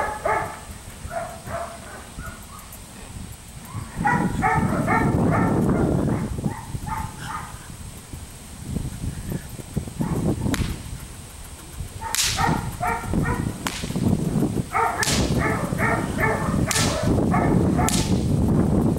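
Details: Felix, a police dog biting a rag, gives bursts of short harmonic barks and yips in quick clusters, with loud scuffling and tugging noise between, plus sharp clicks and a steady high background whine.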